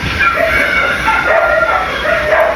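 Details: On a hot Sunday, 26 April 2026, a dog barks at repeated intervals from early morning to near midnight, giving high, tonal yelps and whining barks that rise and fall over a steady background hiss.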